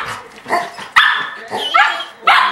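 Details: Sharp yips and barks come in three quick bursts as the puppy Breezy torments the older Golden Retriever Ellie May. The dogs are indoors at home, and a human voice is heard faintly underneath.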